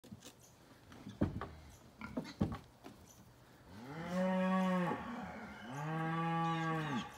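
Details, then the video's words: Highland cow calf meeting a Basset Hound for the first time: a few sharp knocks and clatter, then two drawn-out, harmonic moos of about a second each, the second slightly longer. "Basset Hound Meets Highland Cow Calf"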